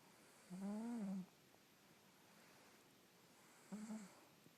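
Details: Sleeping Russian Blue cat snoring: two nasal, tonal snores, the first over half a second long with a slight rise and fall, the second shorter and broken, separated by about two and a half seconds of quiet breathing.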